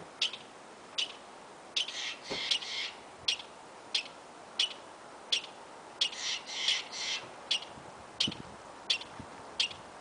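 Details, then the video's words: Squirrel in Yosemite giving an odd, repeated call: short piercing chips at a steady pace of roughly one every second, interrupted twice by clusters of harsher buzzy rasps, over a faint background hiss. "ardilla que hace sonido raro"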